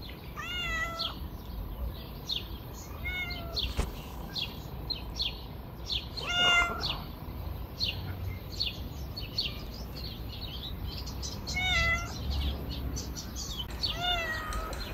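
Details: Stray cats being fed on a river bank give several separate drawn-out meows, each rising then falling, spaced a few seconds apart, with faint bird chirps and a steady outdoor hiss behind them.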